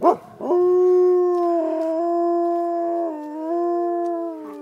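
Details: Gray wolves howling at Como Zoo, St. Paul: a long, steady howl that wavers slightly and dips in pitch near the end. The recordist guesses it is a territorial howl but is unsure.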